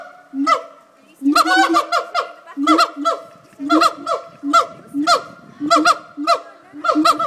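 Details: Siamang gibbons calling at Fota Wildlife Park in Cork Harbour, a daily call said to carry five miles. Loud honking, barking notes come in rapid bursts about once per second over steady droning tones.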